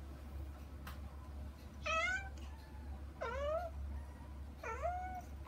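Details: Kitten Saba or her sister Kagishippo wanting to go to mother Hana through frosted glass; three clear meows about a second and a half apart, each dipping then rising, low steady hum behind.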